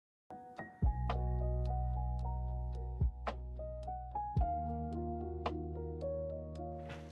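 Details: Electric piano music with sustained chords and struck notes, no animal sounds.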